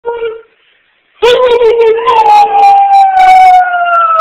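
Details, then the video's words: A pet dog howling on command indoors: a brief tone, a pause, then a long sustained howl that slowly falls in pitch with strong overtones, possibly with a human voice mixed in. "Dog Howling on Command"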